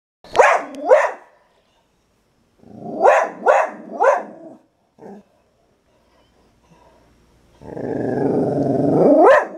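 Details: A dog in Suriname, first thing in the morning at her lookout spot, barks to the neighbourhood in short bursts, a pair and then a quick run of three; other dogs join in.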